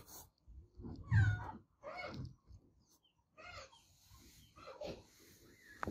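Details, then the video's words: Adopted domestic cat meowing loudly indoors; a few short, bending meows in quick succession, with low rumbling handling noises and faint background sounds between calls. "Cat Meowing Sound"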